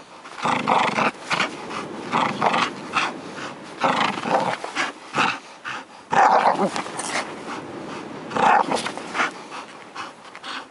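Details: A bull terrier in Karystos, Greece, gives rough, broken growls and short gruff vocal bursts in uneven runs.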